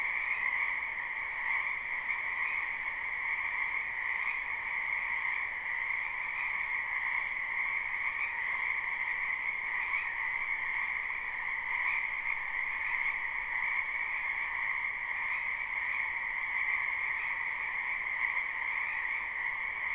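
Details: Spring wetland frogs in full chorus, captured live without looping. Their massed croaking makes a constant, ringing drone of stacked high and mid tones, barely changing in loudness, with soft background hiss and nothing else.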